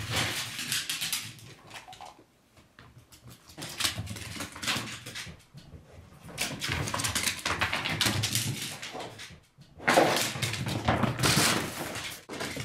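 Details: Dog named Maymo in an excited meltdown over a bag of ice chips, his favourite plaything and treat; bursts of high whining and breathy whimpers separated by short quiet gaps, with rustling of the bag indoors.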